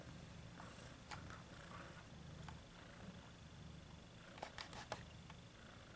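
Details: Domestic cat purring: a low, steady rumble with soft rhythmic pulsing, broken by scattered light clicks and rustling sounds close by.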